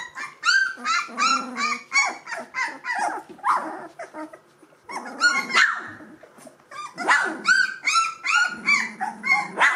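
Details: Two-week-old Gordon Setter puppies of the E litter, eyes and ears newly open, in a litter whining together: a dense chorus of high, arched squeals and whimpers, overlapping and repeated rapidly, with short pauses between bursts.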